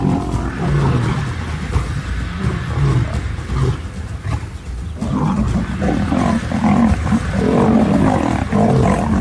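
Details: Lions of a pride, a mother turning on her own sons in a confrontation: dense, harsh low growls and snarling roars overlapping in rough bursts, with a brief lull near four seconds before the growling surges again.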